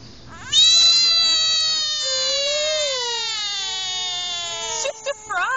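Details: American bullfrog letting out a loud, sustained scream of about four seconds, a rich, harmonic, slightly nasal tone that bends upward then sags, ending in a few short choppy bursts.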